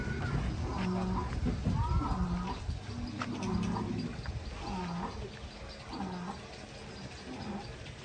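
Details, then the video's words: Giant cattle being unloaded from a truck in Indonesia; low droning moos rise and fall in repeated short bursts, mixed with background music and people talking. "SAPI RAKSASA TURUN DARI TRUK"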